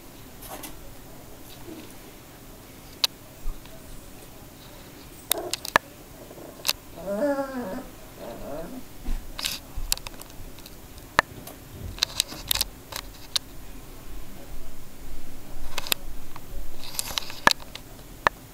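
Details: Three-week-old Border Collie puppies learning to play and vocalise; a brief high, wavering whine with stacked harmonics rises midway, surrounded by scattered clicks, scuffles and soft knocks.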